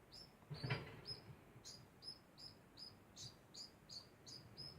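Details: Constant degu sound of clipped high chirps in a regular run, with one louder burst of scratchy broadband noise near the start and soft low thuds.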